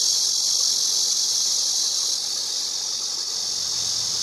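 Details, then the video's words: Short stretch of cicada song: a high, even hissing whine, slightly louder in the first two seconds and then holding steady. "매미 소리"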